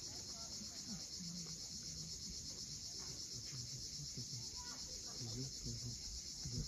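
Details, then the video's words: At sunset on the Crimean coast at Cape Fiolent, cicadas keep up a continuous high, hissing trill while surf murmurs low underneath and faint scattered bird calls appear. "Cicadas at sunset."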